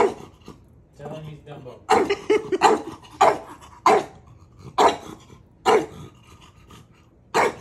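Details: Dog named Maui testing his big brother's patience: a rapid run of short, rough barks mixed with human voices talking and laughing in a small room.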